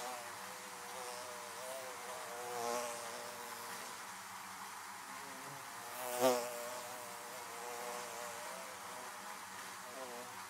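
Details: Quieter steady hum of bees around beehives, with a gentle swell near three seconds and one quick, close, loud bee pass at about six seconds.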